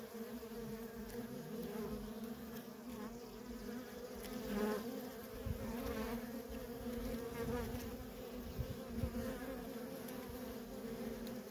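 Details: Worker honey bees in nonstop traffic at a feral colony: a dense, continuous droning hum with steady low tones, swelling now and then as individual bees pass close.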